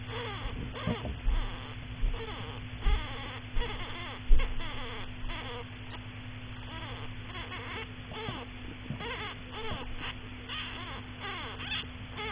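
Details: Pet hamster named Daisy, a mother, with her 13-day-old pups, whose fur has grown and whose eyes are almost open. The pups are very vocal, giving many short, high, arched squeaks in quick succession, with a steady low electrical hum underneath.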